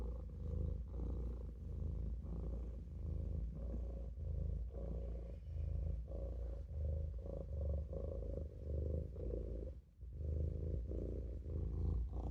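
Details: Sleepy Maine Coon kitten Olof lying in a sink purrs in a deep, buzzing rumble, rising and falling with each breath about every 1.25 seconds, one short pause near ten seconds.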